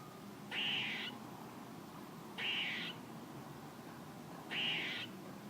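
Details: A squirrel gives three harsh, raspy, buzzy calls, each about half a second long, spaced roughly two seconds apart over a steady low background hiss.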